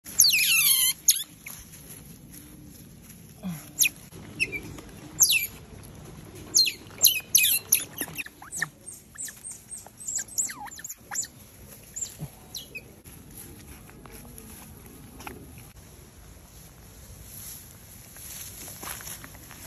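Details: Baby smooth-coated otters giving shrill, harmonic squeaks that sweep steeply downward, loudest in a burst at the start, then scattered sharp chirps every second or so, thinning toward the end over a faint background hum.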